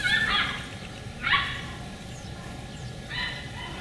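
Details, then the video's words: Beagle puppies of a second litter, heard from inside a window on 4/27/20: three loud, harmonic yelping cries rising and falling, with a pause of over a second between each, over a steady low background hum. "Beagle Puppies Part 2"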